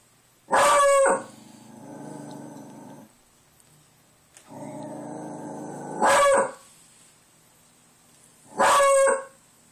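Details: Buster, a pet dog indoors at the door, worked up by wind heard outside: three loud harsh barks split by long, softer, wavering drawn-out howling moans, with a steady faint high hum behind.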